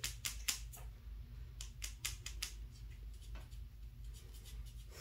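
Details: Sharp clicks and taps ring out in a small indoor room over a steady low hum, with no animal voice.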